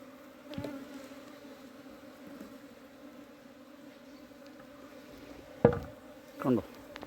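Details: A summer cleaning of a honey bee hive. The bees give an even, low buzzing drone, interrupted by a loud knock at about five and a half seconds and a duller bump a second later.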